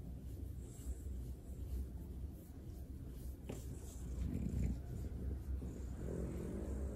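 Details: French Bulldog enjoying a belly rub, making low snoring, grunting breaths that swell and fade, with one brief sharp snuffle partway through; nothing else stands out.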